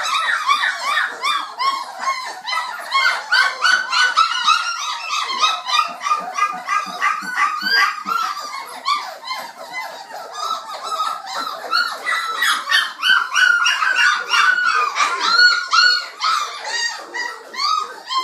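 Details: A litter of 29-day-old black Labrador Retriever puppies, messy and noisy while feeding: dense chorus of high-pitched squeaks, yelps and whines, many pups calling at once, continuous throughout.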